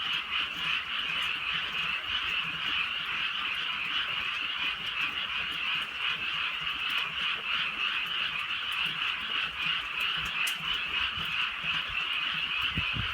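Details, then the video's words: Frog chorus on a drizzly rural night: many frogs croak together in a fast, continuous, pulsing trill that never pauses, with occasional sharp ticks over the steady hum. "개구리 소리"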